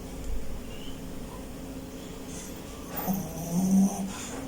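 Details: Dean, a pet dog, snoring while asleep: low rumbling breaths that swell into a louder snorty snore near the end, with faint high chirps in the background.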